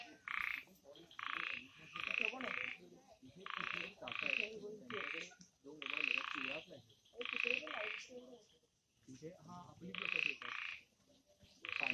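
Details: Frogs calling at night in the forested Amboli hills, Sindhudurg, give bursts of bright, rasping notes repeated in quick, uneven runs.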